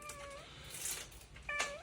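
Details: House cat begging to get outside for a walk in the yard: two short meows, the second bending downward at its end, over background hiss and rustling noise.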